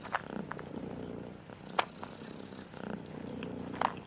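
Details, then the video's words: Purring from a striped cat, said to be in a bad mood today and to dislike the song: a continuous low throbbing rumble broken by brief crackling clicks. "Chat rayé est en colère aujourd'hui parce que n'aime pas cette chanson ronronner"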